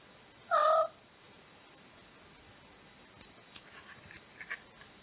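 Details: Claus, a pet cat recorded in 2011, gives a single short, clear, tonal beep, level and brief, followed by faint scattered ticks over a steady background hiss.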